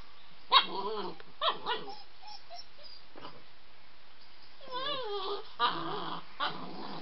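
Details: Worked-up White Swiss Shepherd pup Iwan at evening play with Samo: a few loud yelping barks, then high wavering whines and squeals that rise and fall, with quiet gaps in between.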